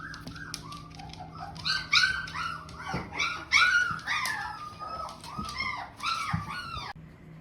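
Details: Several 17-day-old Shepsky puppies, still nursing with eyes starting to open, give high, overlapping squeaks and whiny yelps that rise and fall in quick bursts, in the morning.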